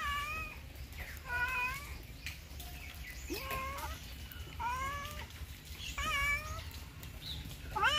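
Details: Domestic cat meowing repeatedly, about six short, tonal calls that rise then drop, coming every second or so at uneven intervals, with light background rustling and a low room hum.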